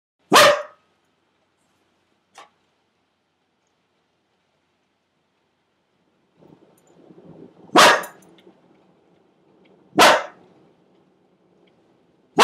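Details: Pet dog barking at a storm: short harsh barks at irregular intervals, one near the start and three more later, with a low steady rumble in the background during the second half.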